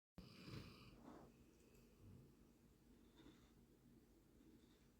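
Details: Siris, a pet dog, snoring while asleep indoors: soft, rough breathy snores, a louder rasping one near the start, then quieter irregular snuffling breaths.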